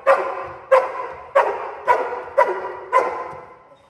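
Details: Cane Corso during home invasion protection training, barking to contain a criminal: six powerful, gruff barks in quick succession, each sharp at the onset and fading, about every 0.6 seconds.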